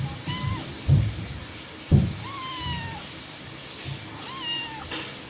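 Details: Three separate meows from a playful domestic cat, about a second apart in pattern, each a smooth slightly arched tone, the middle one longest. Two low thuds are heard between the first calls.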